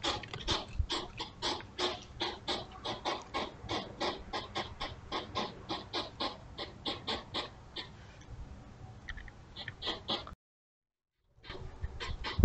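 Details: Two European hedgehogs courting in the early hours at the side of a house, recorded by a trail camera on 28.6.23: dense, rhythmic huffing puffs like a small steam engine, briefly cut to silence near the end before resuming.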